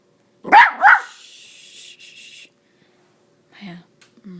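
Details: Small female miniature Dachshund playing fetch, speaking up for her tiny tennis ball: two sharp quick barks in a row, followed by a rustling hiss and faint soft whimpers near the end.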